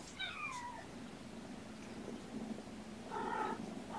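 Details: Indoor kittens, born November 22 to a surrendered mother cat, recorded on a sleepy afternoon, 13 February 2018: one falling, harmonic meow near the start, then a second, shorter meow about three seconds later, over a low steady room hum.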